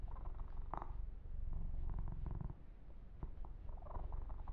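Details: Close-up purring of Yumak, a male kitten, during a massage: a soft continuous low rumble that grows louder midway, mixed with light clicks, brushing and rubbing of fur.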